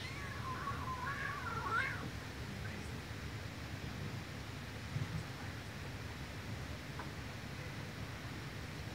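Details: A mother cat forcibly washes her kitten, with one wavering, rising-and-falling meow lasting about a second and a half near the start. A steady low rumbling hum continues underneath, and the rest is quiet.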